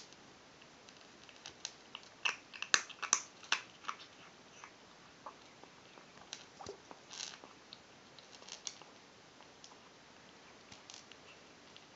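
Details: Only soft crunching and chewing clicks in a small room; no animal calls.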